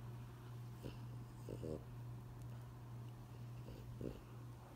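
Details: Bengal cats talking, described as noisy with meowing, chirping and yowling. Several short pulsed chirps come in quick pairs near the start and again near the end, over a steady low electrical hum indoors.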